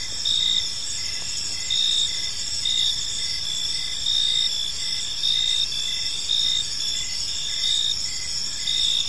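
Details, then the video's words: High, continuous cricket chirping at evening in a park; pulsing bursts rise roughly every second above a steady insect drone, with faint low ambient noise. "Cricket Sounds in a Peaceful Park"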